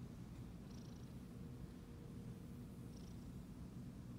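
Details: Petted Siamese cat purring in a low, gravelly, unbroken drone with a fine pulsing texture, with two brief faint rustling touches.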